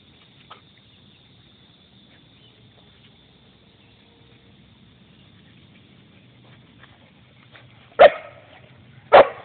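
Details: Belgian Shepherd dog playing with a turtle: a long quiet stretch with soft low background rumble, then two sharp, loud barks about a second apart near the end.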